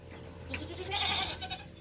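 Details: Domestic goat being given cigarette smoke, letting out a short, strained bleat with a bright upper edge lasting under half a second, over a steady low hum and faint background noise.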